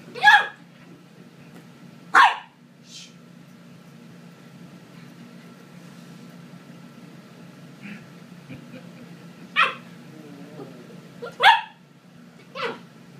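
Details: A 12-week-old Corgi puppy playing with a boy, letting out sharp, short barks in scattered bursts, two early, then a cluster of three near the end, over a quiet indoor background with a faint steady hum.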